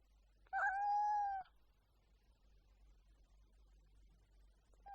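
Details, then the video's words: Domestic cat giving one clear, steady meow lasting under a second, then a long quiet stretch with only a faint low hum and the start of another call at the very end. "Cat hissing |Cat meowing | Cat sounds |Cat purring"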